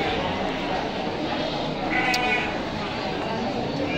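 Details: Garut sheep at the Tanjungsari livestock market in West Java, Indonesia: one short, harmonic bleat about halfway through, partly buried under steady crowd chatter and nearby speech in a busy indoor market.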